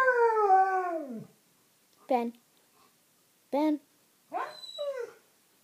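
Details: A pair of Alaskan Malamutes vocalizing: one drawn-out howl curving downward over about a second, followed by three short, rising-then-falling yelping whines spaced roughly a second apart, in a quiet indoor setting.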